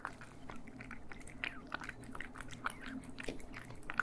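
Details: Cats eating, close stereo recording indoors: dense crunching and chewing clicks, irregular short bursts, with a low steady hum underneath.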